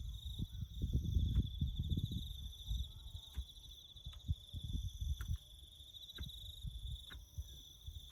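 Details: Crickets chirping in the bush near farm road work: an unbroken high pulsed trill continues steadily, over louder low rumbling early on, then quieter thuds and regular sharp clicks.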